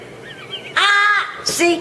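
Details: Domestic cat caught misbehaving indoors: one loud, drawn-out meow that rises then falls over about half a second, followed by a shorter, sharper cry, with people talking and laughing nearby.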